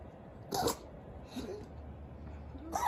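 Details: Yorkshire Terrier sneezing repeatedly after finishing a drink of water; short broadband bursts near the start and end, with a softer snort between, over a quiet room background.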